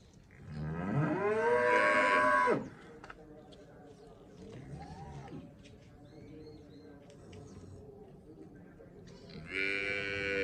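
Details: One loud, rich moo lasting about two seconds from a Cholistani Friesian cross cow in Pakistan, then a quieter stretch with faint sounds before another moo begins at the end.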